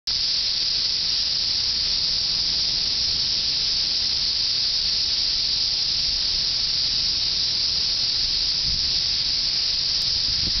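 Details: Mass emergence of cicadas in Cincinnati, Ohio, in 2004: a dense, unbroken, hissing chorus holds steady at a high pitch for the whole stretch, with no pauses or rhythm.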